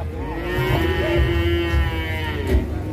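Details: Angry cattle being loaded onto a truck in Indonesia; a steady, sustained bellowing moo fills the clip over low mechanical rumble and voices.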